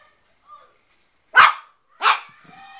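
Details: Shih Tzu puppy, four months old, male, playing with his own reflection in a mirror indoors: two sharp high yapping barks about half a second apart, with a woman's voice coaxing him before and after.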